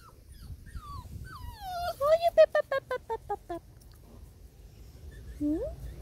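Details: Five-week-old Labrador Retriever puppies exploring the garden: a few descending whines lead into a burst of about eight quick, tonal yelps, roughly three per second, ending with a short upward whine. Faint low background rumble.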